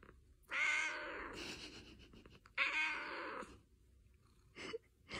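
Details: Pet cat meowing twice, about two seconds apart, each call drawn out and slightly strained, with brief rustles after; a person nearby speaks in Korean about food.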